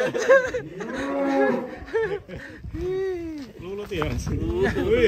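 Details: Cattle in Indonesia giving loud drawn-out moos, several long harmonic calls rising and falling, overlapping one another, with laughter and voices of people nearby.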